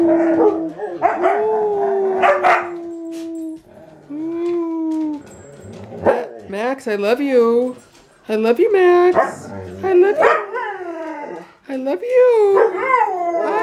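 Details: House huskies vocalizing together: a held howl at first, then bursts of wavering, yodel-like woos and yips coming in short phrases with brief pauses between, several dogs overlapping.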